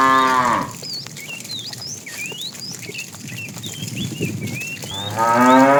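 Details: Tame cows wandering a road looking for food; a moo fades out at the start and another rises at the end, with a stretch of busy, twittering small-bird calls between them.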